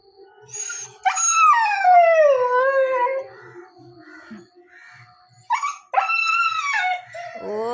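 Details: Nine-month-old dog crying after not being taken along on a scooter: a falling, wavering howl, quieter whines, then rising yelping howls again, with a person speaking softly and light music.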